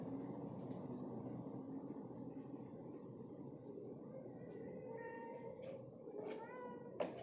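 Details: Two Siamese cats fighting over one box give drawn-out, wavering yowls of aggression over steady background noise.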